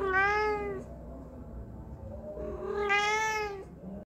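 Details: A talkative domestic cat that keeps meowing when people are around utters two long, even meows indoors, the first lasting almost a second and the second longer, separated by a soft low murmur.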